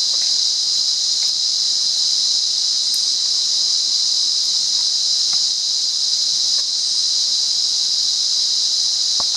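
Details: Steady electric-sounding shrill of a cicada recorded in the wild at Monaragala, Sri Lanka, one constant high tone without breaks, light clicks and rustling in the background.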